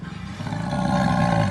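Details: Jaguar growling: a steady low, rough rumble with stacked harmonics that slowly swells louder over a second and a half, with no other sounds.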